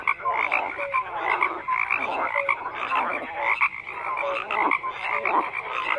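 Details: Dense frog chorus of clustered pulsed croaks and short whistled notes from several callers overlapping, with swells of loudness about every second.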